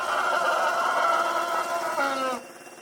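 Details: A female Asian elephant, thought to be giving birth, cries out in pain from the forest near a Khao Yai salt lick on an evening, 21 November 2024, as her herd waits; a loud, drawn-out tonal cry that sags before cutting off.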